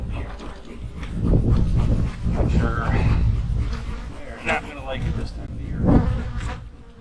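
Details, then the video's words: Honey bees in a hive being opened during autumn preparation for winter, with mites checked and drones present; a dense, low droning hum fills the clip, broken by handling knocks and a few brief spoken words. "My hives are humming along in the fall!"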